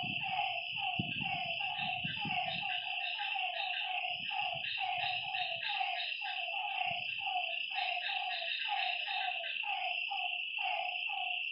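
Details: Frogs by a lake at night keep up fast, repeated mid-pitched calls against a continuous high insect buzz, with low thuds early on and around the middle.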